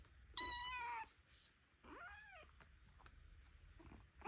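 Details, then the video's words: A noisy foster kitten keeps complaining: a sharp, loud cry, then a softer rising-falling meow a second later, followed by quiet room noise and the start of another cry. "Noisy ornery kitten"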